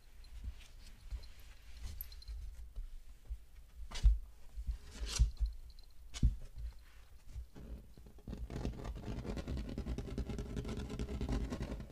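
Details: Soft scratching, rubbing and tapping in a small indoor room with a few sharp clicks and no animal voice.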